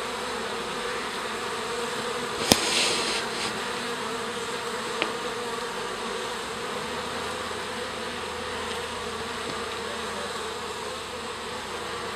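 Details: Many honey bees pouring out of a garden hive to stretch their wings make a constant, even buzzing drone, with a sharp click and a short louder whir early on.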